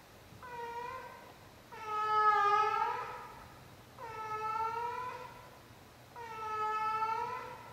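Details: Old female cat aged 16 gives her nightly performance of drawn-out meows, four wailing calls with short pauses, the second the loudest and longest, against a quiet indoor background.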